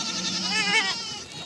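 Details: Farm goat kids with their mothers in village life, kids suckling; one long tremulous bleat swells and rises in pitch midway, then fades, with another animal calling faintly beneath.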